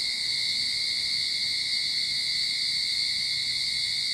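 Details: Cicadas singing in a Sydney backyard at the start of summer: a steady, unbroken high buzzing drone with a bright band near the top and a thinner lower whine, constant in loudness throughout.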